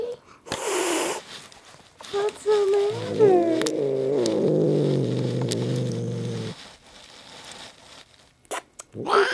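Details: House cat Jinxie, being dragged out from beneath a chair, produces a low rumbling growl that swells into a wavering wail for several seconds, with bumping noises and a person's coaxing words around it.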